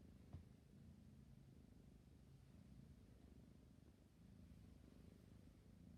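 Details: A drowsy kitten purrs in a low, even, vibrating drone, with one small click near the start and a short dip in the rhythm around four seconds.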